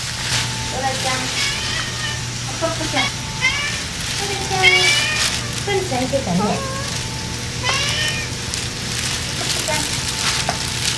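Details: Ear-tipped stray cats (sakura neko) being fed pouch food on a rainy midsummer day give several short, rising and falling meows, some in quick pairs, over steady rain and a low hum, with a person talking between them.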